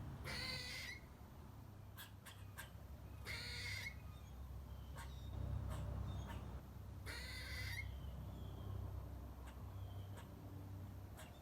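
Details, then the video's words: A squirrel in a front-yard tree, eating a nut, gives harsh, raspy squeals, three bursts spaced a few seconds apart, with sharp clicks between them. "Cute Squirrel Squeaking & Making Loud Sounds While Eating A Nut😍"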